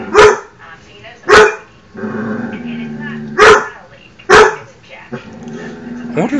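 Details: Domestic dog barking at its own reflection, four loud sharp barks spaced unevenly, with a low drawn-out whine in the gaps.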